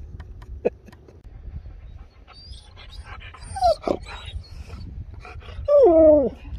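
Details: Husky at home around a birthday: soft breathy sounds, then a long descending whine near four seconds and a louder, drawn-out falling whine with clear harmonic bands toward the end.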